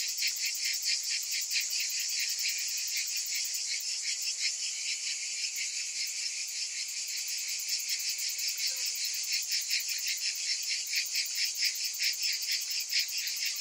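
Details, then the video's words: Cicadas in summer, many calling at once: a constant piercing buzz with rapid regular pulsing, the pulses growing crisper and slightly stronger in the second half. "Cicadas in Summer"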